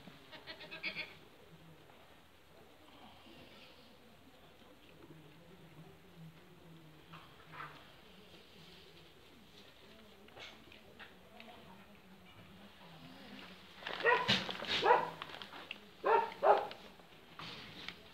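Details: Chamois-coloured goats (capre camosciate) on a farm, with a loud burst of wavering, harmonic bleats near the end after a long quiet stretch holding only faint scattered calls and low background noise.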